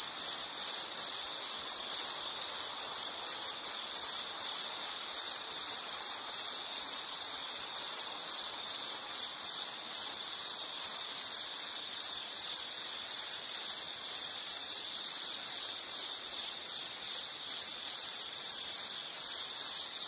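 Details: Insects chirping in a steady, dense high-pitched trill with rapid pulsed repetition, a continuous nature soundscape with no other clear sounds.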